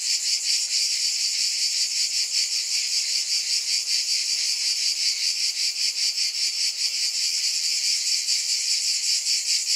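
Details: Cicada chorus as an unbroken bright buzz, gently throbbing in rapid regular beats, steady in loudness from start to end.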